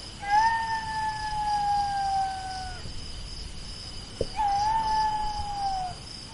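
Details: Two drawn-out jackal wails, each about two and a half seconds, held level and then sliding gently downward, separated by a sharp click, over a steady electronic hum.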